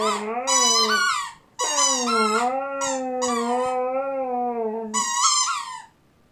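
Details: Siberian Husky crying while holding a squeak toy: long, wavering, low whining cries with rich harmonics, slowly rising and falling. Shorter, higher squeaky notes sound at the start and again near the end.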